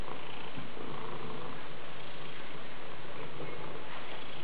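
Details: Maine Coon cat purring, a steady low rumbling drone that runs through the whole clip.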